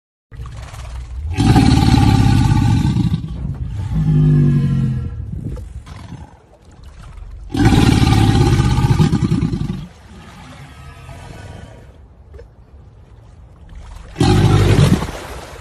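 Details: An alligator gives loud, deep rumbling roars in three long bursts of about two seconds each, separated by quieter low growls, with a short final burst at the end.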